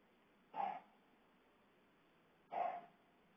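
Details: Siberian Husky left home alone for a week: two short, soft barks or yips about two seconds apart in an otherwise quiet room.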